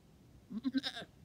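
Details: Newborn triplet goat kids two days old, taking first hops with mother Amelia watching closely; a short, soft, quavering bleat of about half a second, pulsing three times, faint against a quiet background.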